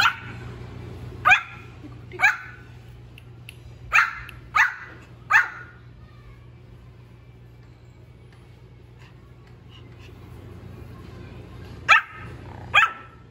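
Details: Young Pomeranian puppy giving some of his first little barks: sharp, high yips in a burst of five over about four seconds, a pause, then two more near the end, over a faint steady hum.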